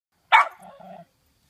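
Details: A Cairn Terrier, alarmed by a cucumber hanging in front of it, gives one sharp, bright bark that trails into a short, low, growly rumble.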